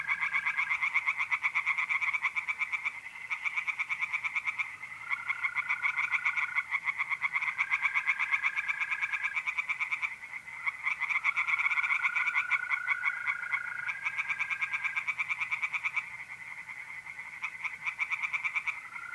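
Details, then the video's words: Tree frogs singing at night in a pond in north-east Italy in mid-April: dense, overlapping trains of rapid rasping pulses that run almost without a break, while steady mole-cricket trills hum at intervals beneath them. "relaxing singing tree frogs in pond"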